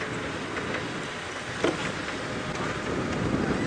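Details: Steady wind and vehicle rumble with a brief knock, and no animal voice to be heard.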